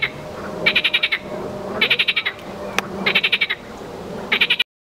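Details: A marsh frog (Pelophylax ridibundus) calls with quick, rattling bursts of clicks, each burst repeated about once a second.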